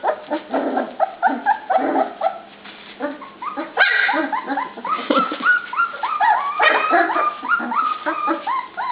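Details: Dinnertime for a group of dog pups, loud excited yips and little bark-like squeals tumbling over each other, rising whimpers repeated in a fast, uneven stream.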